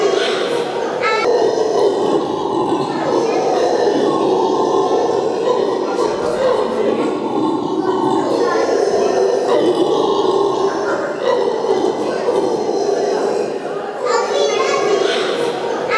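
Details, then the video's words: A red howler monkey at a zoo, with a newborn clinging to its belly, gives a deep, rasping, continuous roar that carries on without pause. "Nachwuchs bei Roten Brüllaffen"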